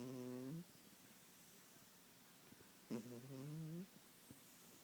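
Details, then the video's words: Snoring kitten in a quiet room gives two low, droning snores, the second rising slightly in pitch as it ends, with faint clicks between breaths. "Snoring kitten"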